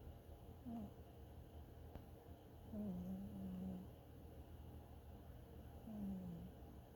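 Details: Domestic cat snoring while dreaming: soft, low droning breaths, with brief humming snores near one second, a longer stretch from three to four seconds, and another around six seconds, over a quiet steady background.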